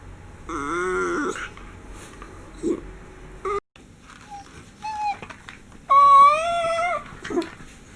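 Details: Pampered pet miniature schnauzer Homer whines expressively indoors: several short, bright, harmonic whines separated by pauses, with one louder, sustained whine near the end and light handling noises between.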